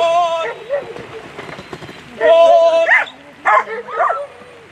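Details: German Shepherds at a world agility championship. The dogs give high, excited, whining yelps and barks in three short bursts, the first sustained and tonal and the later ones choppier. People's voices are heard in between.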